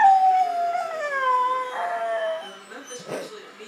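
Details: A 19-week-old German Shepherd x Labrador cross puppy performing a trick, speaking on command: a long, drawn-out howling tone slides slowly downward, then lifts and wavers before fading, and a person's voice follows at the end.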